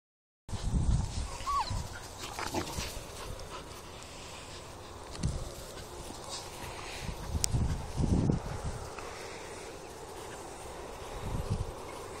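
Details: Rottweiler. Young Rottweilers make brief, irregular yelps and soft whines while playing, with no steady rhythm. Heavy low thuds and rustling from their scuffling run underneath.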